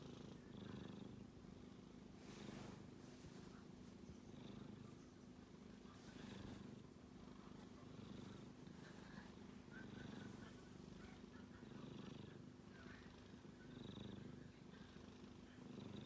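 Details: Sleeping male kitten snoring: a low, pulsing rumble that swells and fades with each breath, roughly every two seconds, steady across the clip with faint soft hiss above.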